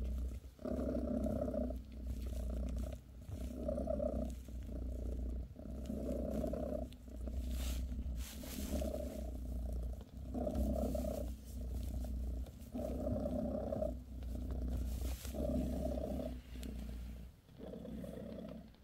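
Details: Bassy, a British shorthair mother cat, purrs steadily while giving her kittens a massage; low rumbling purr swelling and fading in even cycles about every two seconds, with soft rustles and occasional clicks.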